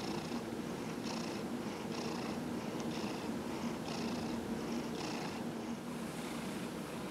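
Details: Purring from Dillard, a 15-year-old cat with small cell lymphoma, during a body rub on November 27, 2018; an even low drone punctuated by airy pulses roughly once per second, steady throughout, with a faint background hum.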